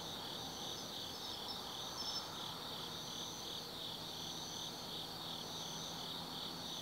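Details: Insects of the autumn woods calling at night at the Tsukimi no Mori lookout, Gifu, Japan: overlapping high, rhythmic trilling that never pauses, a few brighter chirps early on, and a soft distant drone below.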